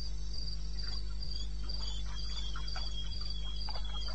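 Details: Crickets of eastern Botswana calling in the small hours, 02:30 on 21 May 2016: high, evenly spaced chirps roughly every quarter second, a second fainter voice slightly lower, scattered soft ticks and a persistent low hum.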